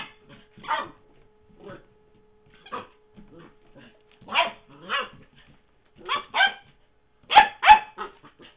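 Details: Henry the puppy in 2009, busy with his favourite toy Mr. Squeaky, lets out spaced high yips and short barks, some in pairs, ending with two sharper, louder yaps.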